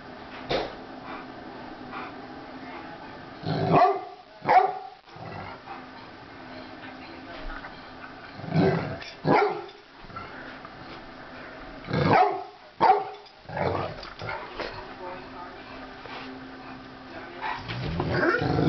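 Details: Two Rottweilers, Crosby and Polly, playing together on New Year's Day: irregular bursts of rough barks and growly yips, clustered in short volleys with quiet gaps between, ending in a louder rumbling stretch.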